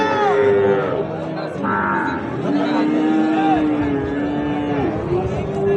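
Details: Long, level lowing from Sahiwal bull calves being bought and sold at Ambari market, several drawn-out moos overlapping one another over background talk and bustle.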